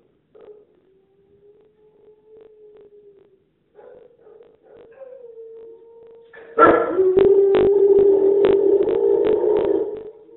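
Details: Domestic dog giving a feeble, half-hearted howl: soft, steady mid-pitched tones drawn out for a few seconds with short breaks, then a sudden much louder, sustained wavering howl with rich overtones and crackling clicks for the last four seconds.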